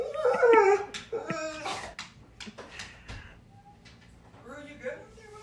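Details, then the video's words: Frightened dog too scared of a cat to fetch its ball indoors; a few short high whimpers at the start, then quieter whining near the end, with a person urging it to get its toy. "Scared Dog Fails to Pick Up Ball Kept in Front of Scary Cat"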